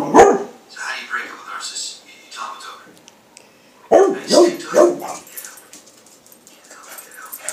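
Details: Thirteen-year-old pet beagle barking at a knock on a table, thinking someone is at the door and protecting his domain; one sharp bark, a lull with softer sounds, then three quick loud barks in a row, followed by quieter background sounds.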